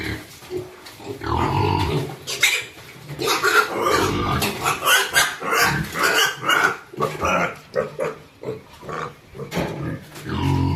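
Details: Piglets at a pig farm, held under the leg joint and then released, squealing and grunting in rapid, harsh, broadband bursts, several close together, while people talk nearby.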